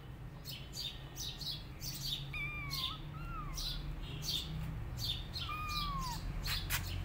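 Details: Rescued tabby kittens roaming on their own without their mother give several thin, high, slightly falling meows, some in quick pairs. Steady bird chirping and a low background hum run throughout.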